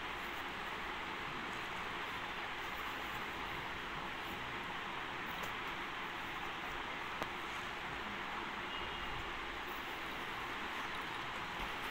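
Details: Steady broadband hiss and low rumble like a passing vehicle or train, with a faint click near the middle and no clear animal voice.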